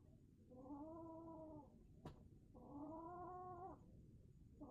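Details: Mad kitten's weird sound: two long, level, harmonic moaning yowls of about a second each, separated by a sharp tap, over a low rumbling background.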